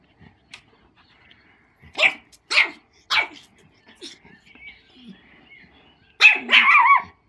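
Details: Four-month-old pug puppy meeting an old labrador that she likes but finds scary for his size; short, sharp, high yappy barks near two, two and a half and three seconds, then a longer rough bark burst at the end.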